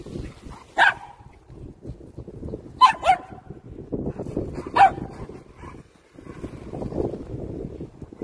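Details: Poodle named Dongbaek, an RC-car dog showing hunting instinct, barking in short sharp bursts about every two seconds, three clear barks over a steady low rumbling background.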